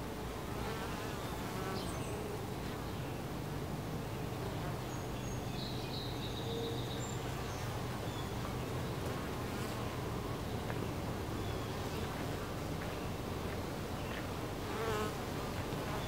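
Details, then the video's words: Honey bees buzzing at a hive entrance: a dense, steady low hum with layered wingbeat drone throughout, a few higher whining passes of individual bees flying close, no other clear sounds. "Honey Bee Hive Entrance"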